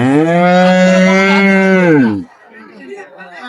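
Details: Cow or calf at Raniganj livestock market, Dinajpur, on 22/5/25, among improved-breed dairy cows and calves, gives one long, steady, loud moo lasting about two seconds before dropping off into faint market chatter.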